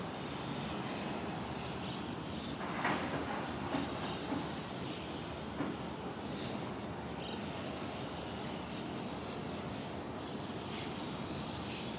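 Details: Steady broadband rumble like a passing train or vehicle fills the recording, with a few faint clicks and no clear animal calls.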